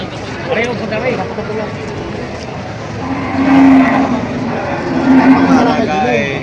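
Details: Cattle at a cattle market in Padre Garcia, Batangas, July: a low drawn-out moo around the middle and another near the end, over loud crowd chatter, people talking and engine noise.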